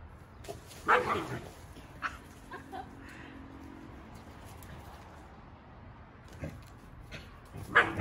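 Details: Akita-inu dogs at home, a red female aged 2 years 11 months and a brindle female aged 3 years 10 months, during an afternoon when play with plates is refused. Two short, sharp harmonic yelps sound near the start and end, with quiet room noise between.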